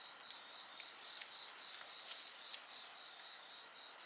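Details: Layered high insect song runs without pause, partly masked by bright crackles and bursts from a bonfire scattered across the few seconds.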